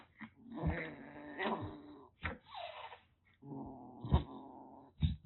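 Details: A hissing rescued kitten, taken in just before a typhoon in Kagoshima, Japan, threatening: repeated breathy hisses mixed with low growling rumbles and sharp spitting bursts near the end, indoors.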